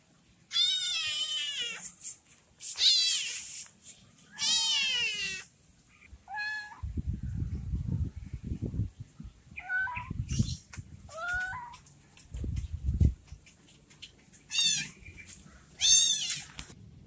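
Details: Abandoned orange kitten whose mother has left it, giving a run of high, quavering meows, some rising then falling, over low rumbling handling noise and soft background hum.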